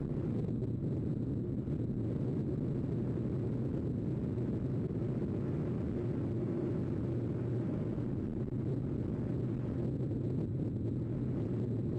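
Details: Steady low rumble of wind or distant traffic fills the recording, with no animal calls heard.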